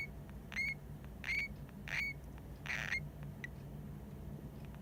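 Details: Pet hamster named Hamuzo calling while half asleep, possibly snoring, something its owner filmed for the first time: short, thin, high squeaks repeated about every 0.7 seconds, five in a row, over a low steady room hum.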